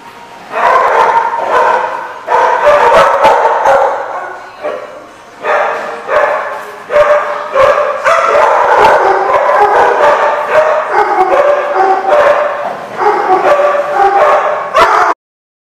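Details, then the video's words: Dogs at a barking lot, recorded 11 September 2015: a dense, continuous chorus of overlapping barks and yips from several dogs, loud and unbroken for about fifteen seconds. "The Barking Lot"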